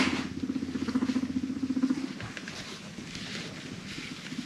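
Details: Frisky pet guinea pigs chasing each other and rumblestrutting give a deep, rapidly pulsing rumble for about two seconds, steady and low, then fading into softer rustling and shuffling noises.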